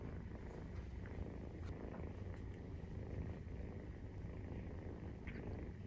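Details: Low, even purring from a Maine Coon cat nursing her 43-day-old kittens, a dense vibrating rumble with no breaks, accompanied by light scattered clicks and small movements.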